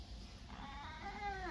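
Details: Domestic cat relaxing on a bed in its owner's mother's bedroom, after waiting for a chance to get into the room; gives a soft drawn-out meow late in the clip, with faint room noise and a woman speaking Japanese nearby.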